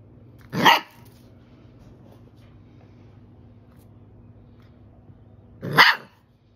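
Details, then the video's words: Labrador Retriever barking to alert to an intruder: two single loud, harsh barks about five seconds apart, with a low steady hum between them. "Intruder alert"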